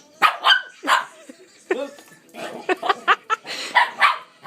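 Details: A dog chasing a vacuum gives quick, excited barks and yips in rapid bursts, mixed with a person making playful noises.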